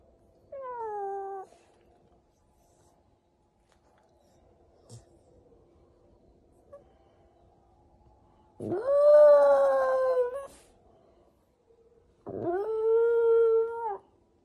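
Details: Indoors, a Shiba Inu (Canis lupus familiaris) gives three drawn-out, yowling howls in an otherwise quiet room.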